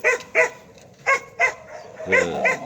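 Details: Korean Jindo dog giving sharp, bright barks, two quick barks, a pause, then two more and a final pair, each short burst with ringing harmonics, against a quiet background.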